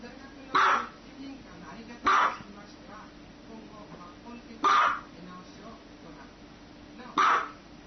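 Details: Pet dog with four strong, clipped barks at uneven intervals of roughly one and a half to two and a half seconds, with faint voices and low background noise in the gaps.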